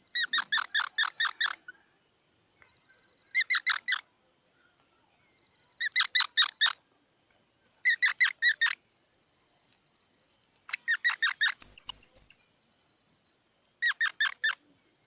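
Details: Squirrel calling in repeated bursts of fast, nasal squeaking chips, roughly six to ten notes per burst with pauses of one to two seconds between them, plus one brief shrill whistle-like squeal midway; no other sounds.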